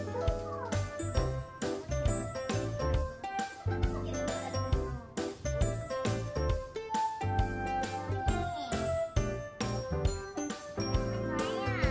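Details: Bright children's music with jingling bells and chimes plays steadily over a warm bass line, with no animal voice heard.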